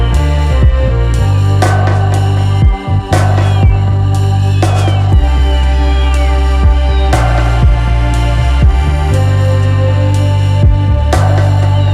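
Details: Electronic music with a heavy, throbbing bass beat and bright synth tones, with no animal sounds.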